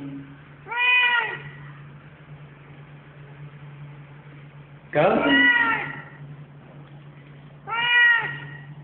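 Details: Very vocal male domestic cat meowing three times, each meow a drawn-out harmonic wail repeated roughly every three to four seconds, the middle one louder and rougher, over a steady low hum.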